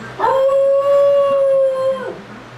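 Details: Young puppy howling when left alone for the first time: a single long, level, clear tone rising in quickly and held steadily for nearly two seconds before sliding down and fading.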